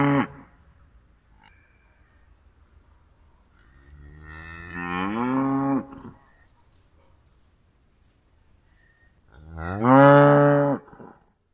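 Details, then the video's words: Mooing cattle: the tail of one call, then a slowly rising, drawn-out moo around the middle, and a loud, full-throated moo near the end, quiet between calls. "Kuh geräusch - Kuhgeräusche"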